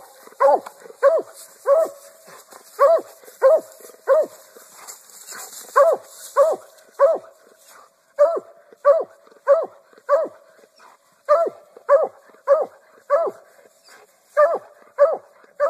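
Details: Black and Tan Coonhound; treeing bark; signaling that quarry has been treed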